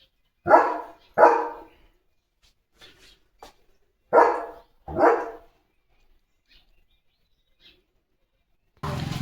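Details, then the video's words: German Shepherd in position to bark as a bullock cart approaches; two pairs of sharp barks separated by quiet gaps, with faint clicks and a burst of noise at the end. "Leo The German Shepherd Goes CRAZY Barking!"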